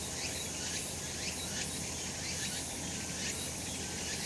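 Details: Sunlit summer mountain with cicadas droning: a bright, rasping high buzz throbbing about once a second, with short rising sweeps inside the chorus and a low rumble underneath.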